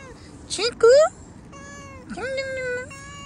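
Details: Cat outdoors being called over by a man who talks in Hindi; two meows, a short one rising sharply, then a longer one that rises and holds steady, with the man's voice in between.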